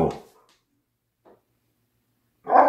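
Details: Siberian Husky indoors on a rainy day, unhappy and wanting to go out: a short loud bark at the start, near silence, then another loud bark at the end, with a person speaking just before and after.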